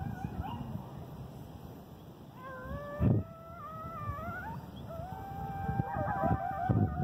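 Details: Coyotes howl together on 8/11/2018 in wavering, overlapping tones that slide up and down, with steady insect buzzing behind.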